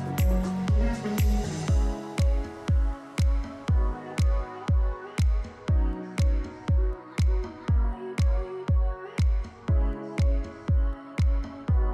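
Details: Electronic dance music with a steady, regular bass beat fills the whole stretch, with no animal voice.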